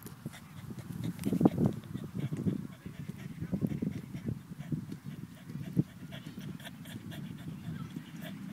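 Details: Boston Terrier Jasper, worked up near another dog and growing wilder the closer he gets, gives rapid low huffing pants and whiny grunts in an unbroken, uneven stream for about eight seconds.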